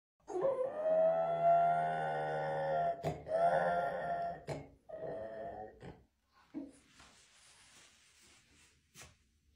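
A French Bulldog gives a drawn-out, wavering, donkey-like bray in several rasping bursts.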